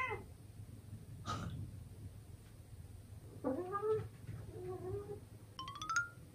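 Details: Mirror fight at home: a young male British Shorthair cat, Simsobbang, lets out wavering, drawn-out yowls and rising meows that bend up and down in pitch, with a low room hum beneath.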